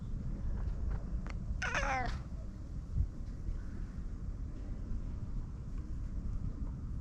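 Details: House cat giving one clear, wavering meow lasting about half a second, then quiet, with a constant low hum of background noise throughout.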